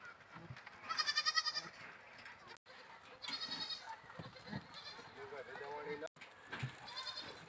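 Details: Playing goats bleat with a quick vibrato in a strong quavering call early on, then softer bleats, amid human speech, shuffling noises and two brief cut-outs.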